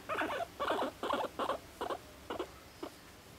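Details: Pet guinea pig, one and a half years old, living in a cage in an apartment, making a quick series of short, squeaky muttering calls, seven bursts in about three seconds, fading toward the end.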